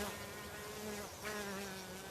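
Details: Many honey bees feeding on nectar on a flower-covered helenium in a British summer garden border make a dense, even, low drone, swelling and dipping as bees move closer or away.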